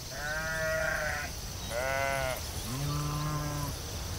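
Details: Sheep out on a field bleating three times in quick succession; the first two calls are bright and quavering, the third deeper and flatter, over a constant high-pitched background hiss.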